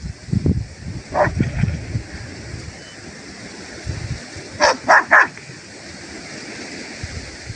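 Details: Kangal shepherd dogs in their natural village setting: a single bark early on, then a quick burst of three loud barks in close succession, with low rumbling handling and wind noise between them.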